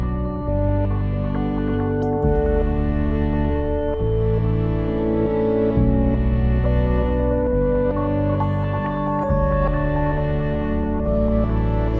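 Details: Slow, sustained ambient music fills the recording, with warm organ-like chords shifting every few seconds. No barking or other animal voices can be heard.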